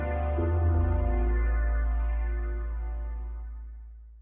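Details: A sustained electronic keyboard chord with a deep bass note slowly fades out, with no animal sound.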